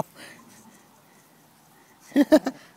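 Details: Five-week-old Jack Russell Terrier puppy playing in a back yard, part of a family with parents Vino and Uva and pups BB and Blanch; three short, sharp yaps in quick succession near the end after a quiet stretch with soft rustling.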